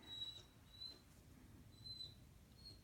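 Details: Puppy whining for its owner's attention, soft thin high whines in brief drawn-out bursts, four in about three seconds, over a quiet low background.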